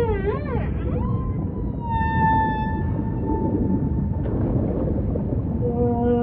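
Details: Humpback whale song with wavering upsweeps, a long drawn-out harmonic tone that falls slowly, then a cluster of shorter tonal notes, all over deep ocean rumble.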